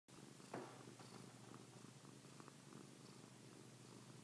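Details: Domestic cat named Pilar purring; a steady low rumbling throb runs through the whole clip, with a brief louder click near the start in a quiet indoor setting.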